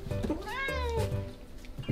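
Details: A neutered male Korean Shorthair cat on rationed meals from an automatic feeder gives one drawn-out meow that rises, then slides down, begging for food about ten minutes after eating.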